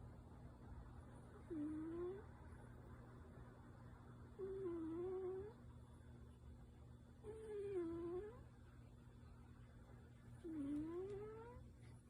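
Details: Tabby cat in deep sleep making louder-than-usual nasal sounds; four soft, whistled tones that dip then rise, each about a second long, repeating roughly every three seconds over a quiet room hum.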